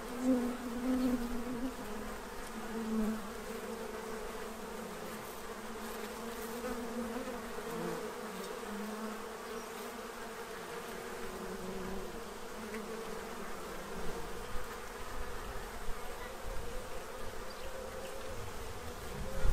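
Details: Many bees at a feeding tray in Central Illinois, stocking up before winter; a diffuse, continuous low drone with brief louder passes early on, then a softer even hum beneath a rumbly background.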